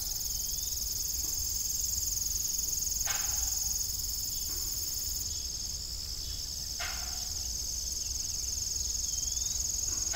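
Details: ["Crickets chirp in the evening around an old farm windmill, giving a continuous high-pitched trilling drone, with a few low creaks and knocks from the windmill's rusty blades."]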